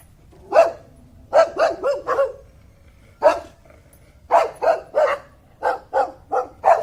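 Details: Dog barking in rapid clusters of three or four sharp barks separated by brief gaps, over a faint low background hum.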